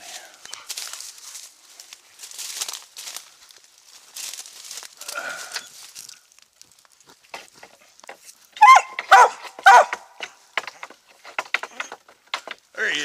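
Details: Treeing Mountain View Cur named Max Pine Knot, about three years old, squirrel hunting in South Carolina. A tight burst of sharp, loud barks comes late, with a final bark at the end. Softer rustling and faint human voices are heard earlier.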